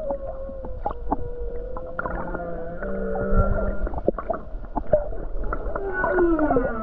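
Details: Off Hawaii on a calm day with many whales nearby, a humpback whale sings: sustained tonal notes held and stepping in pitch, layered harmonics, then a gliding downward wail, punctuated by clicks amid low water rumble.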